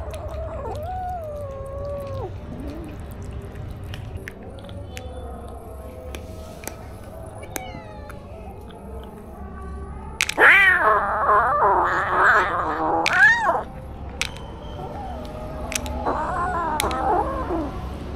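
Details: Stray kitten filmed on a DJI Osmo action camera: a short falling meow at the start, then a louder, harsh drawn-out wail mid-clip and a final wavering meow, with soft clicks and a low hum throughout.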